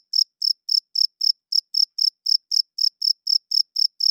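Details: Crickets sing at night, the males rubbing their wings to attract females and claim territory. About sixteen crisp, shrill chirps follow one another at an even pace, with nothing else audible.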